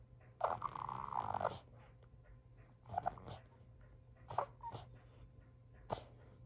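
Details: Sully, a Boston Terrier, cries because nobody will play with him while he refuses to drop his toy; a long nasal whine near the start, then shorter whimpers and snuffly breaths indoors.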